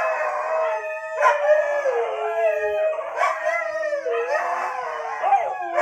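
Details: Pet Siberian Husky answering a human awoo with a steady, sustained howl that wavers and bends downward in pitch, richly harmonic, with brief catches and restarts between drawn-out notes.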